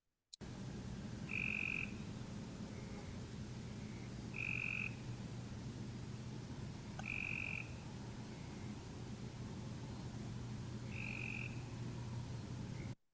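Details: Cope's gray treefrog, a buzzy burr-like call without distinct syllables: short, harsh trills roughly every three seconds, with fainter distant calls between them over a steady low hum of background noise.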